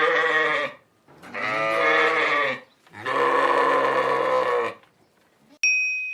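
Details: Sheep bleating on a farm: three long, harmonic-rich, wavering bleats of about a second to a second and a half each, separated by short pauses, followed by a bright ding chime.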